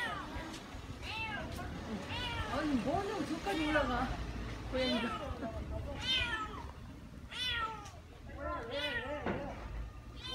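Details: Stray cats gathered at a construction site after one climbed up and got stuck; many overlapping harmonic meows, rising and falling, repeated throughout with low background rumble and some voices.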